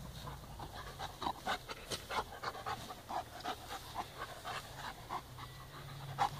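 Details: Two puppy brothers, Balu and Diesel, play gently together; quick breathy huffs of panting come in short bursts roughly every half second over a low steady hum.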